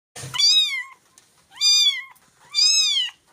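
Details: Stray cat soaked by rain on the street; three loud, clear meows about a second apart, each rising then falling slightly, high-pitched and drawn out, with quiet pauses between.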